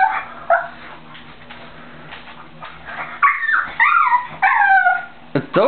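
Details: Male pet pug too scared to walk across a slippery clean bathroom floor for his toy: several high, wavering whimpers with upward-sweeping pitch in short bursts, a person encouraging him to go get it.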